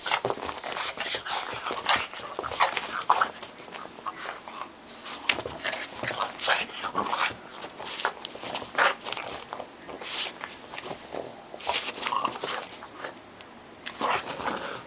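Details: Playful tussle between a two-month-old bulldog and a Boston terrier: steady chain of snorting, grunting and panting sounds mixed with scuffling and clicks, rising and falling in loudness without pause.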